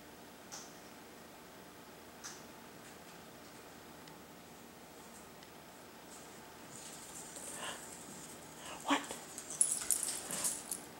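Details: Sushi, a dog in a garage where cat food is kept, eager to clean up the cat's food, gives short soft whimpering sounds that cluster near the end, mixed with rustling, clicks and a quiet indoor hush.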